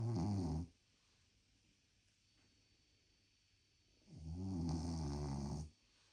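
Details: Krosh, a pet dog, snores while asleep indoors: two long, rumbling, buzzy breaths about four seconds apart, each lasting over a second, with near silence between them.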